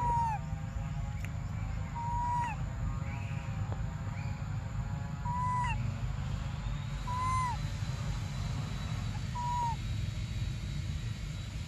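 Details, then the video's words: Briar, a baby monkey, cries desperately for milk, giving short falling whistled cries repeated roughly every two seconds, about six in all, against a constant low background hum. "Desperate Baby Briar Cries For Milk"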